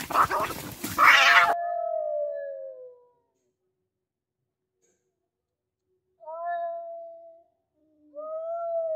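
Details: Fighting cats: a burst of scuffling noise, then long, even, moaning yowls that trail off, separated by silent pauses.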